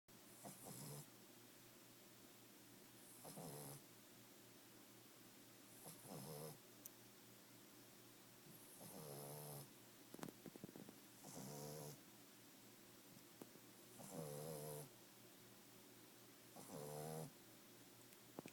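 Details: A 5-month-old Boston Terrier puppy snores steadily, each rasping, snuffling breath returning about every three seconds.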